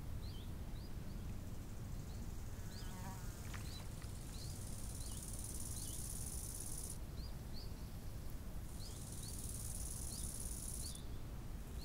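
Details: Crickets trill beside a lake in summer, a piercing high buzz held for about five seconds, pausing, then resuming. Quick, thin, repeated bird chirps and a low, steady wind roar fill the background.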